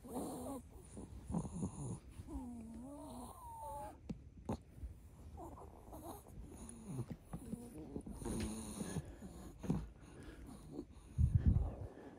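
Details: Waking from sleep, a Chihuahua makes its morning 'kupii kupikupi' nasal noises, likened to a baby's: wheezy, wavering squeaks and snuffly snorts in irregular bursts, with a deeper rough snort near the end, indoors.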